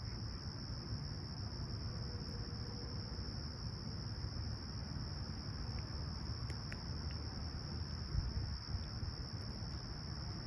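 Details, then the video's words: Crickets chirping at a clear, calm summer sunrise in Toronto's Humber Bay Shores, 28 July 2020, about 20ºC: a steady, unbroken high thin trill throughout, over a low city rumble, with a few faint brief bird chirps near the end. "Serene Summer Toronto Morning With Chirping Crickets"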